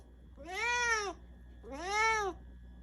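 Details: Indoor cat running over because it mistakes a supplement for a treat, giving two clear, drawn-out meows, each rising then falling, about a second apart, in a quiet room.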